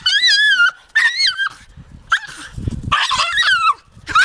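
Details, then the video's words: Taka the Jagdterrier gives quick, high, quavering whimpers, two clear arching notes then a rougher squeal. A soft thump sounds between calls. "Taka a jagdterrier"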